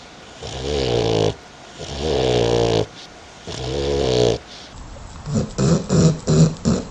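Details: Dog asleep and snoring: three rhythmic, rumbling, throaty inhalations about a second and a half apart, followed by a quick run of five short, snuffling snorts.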